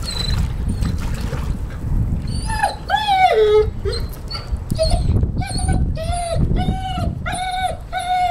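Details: A 10-month-old male Weimaraner whines in distress after dropping his favourite toy pheasant in the pool: high, arching whimpers, first drawn out and falling, then short and quick about twice a second, over a low steady rumble.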